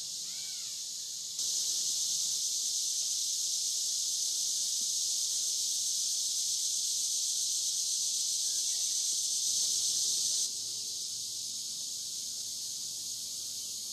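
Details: Cicada chorus beside the Licking River, Morning View, in an overnight dusk-to-dawn recording. A shrill, hissing drone swells suddenly louder, holds for about nine seconds, then drops back to a softer steady buzz.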